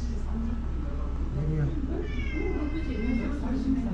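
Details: Karin, a ferocious stray cat in a Japanese park, growls in a bad mood after being forced out of the waiting room at six o'clock. A low, wavering rumble runs under a woman's soothing voice.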